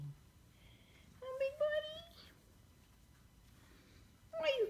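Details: Korat cat named Horton Gerard, kept indoors, apparently complaining about his food dish: a series of short tonal meows, some rising, with a louder sliding meow at the end in a quiet room.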